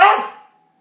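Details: Border Collie giving a single sharp bark in reaction to being told "yo mama", quickly fading into a brief ringing tone in a small indoor room.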